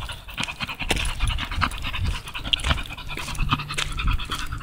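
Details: American Bully out on a walk, panting in quick rough breaths throughout, a steady rhythmic huffing over outdoor background noise.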